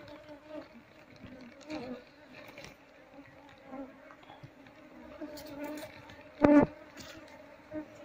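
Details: Honey bees buzzing as a wild colony's combs are taken one by one and moved into a hive box, a steady droning hum with faint intermittent human speech and handling noises.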